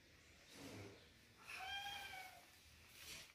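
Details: Mother cat and kitten in an angry situation; a single drawn-out meow with clear overtones, steady then falling slightly, stands out over soft background hiss and faint rustling.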